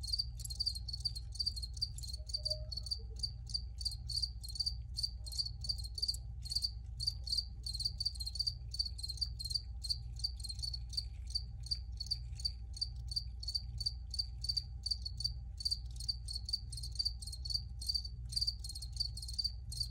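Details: A long steady chorus of crickets, with high chirps repeated evenly several times a second for the whole stretch, accompanied by a continuous low hum.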